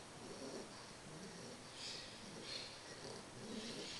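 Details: Sleeping English Bulldog puppy Carles, three months old, breathing in slow, throaty snores. Rough, breathy swells come roughly every second and a half over a quiet room hiss.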